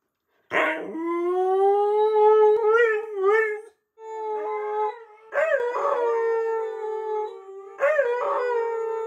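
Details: A trio of Siberian huskies left home alone for about 20 minutes howl in long, wavering, yodel-like tones around a steady mid pitch, in three drawn-out bouts, waiting for their owners to return.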